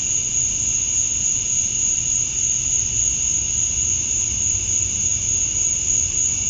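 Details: Cicadas at dusk on a summer night in Georgia, USA, with males chirping to draw females: a dense, unchanging high-pitched drone and a second lower band, no pauses, at steady volume.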